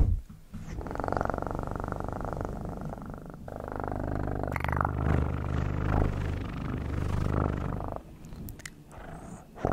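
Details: Domestic cat purring up close for ASMR, a steady low rumbling purr pulsing rapidly and continuously for most of the recording, with brief quieter gaps near the start and end.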